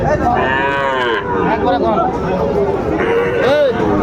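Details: Sahiwal cattle at a Bangladeshi market in Mymensingh, 30 May 2024: a long bending moo opens, followed by a shorter rising-falling low near the end, with people talking close by throughout.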